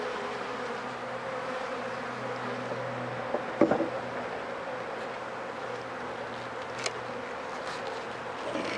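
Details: Bees at a hive being checked for sickness, dead bees lying wet in front after four days of rain; a steady dense buzzing hum with a low drone underneath and a few sharp knocks near the middle.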